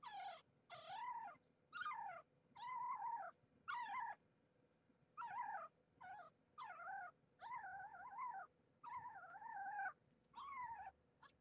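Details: Kittens jostling for nursing positions on their mother, one kitten displeased and defending her place; a rapid run of about fourteen loud, harmonic, bent mewing cries, roughly one per second, over low room hum.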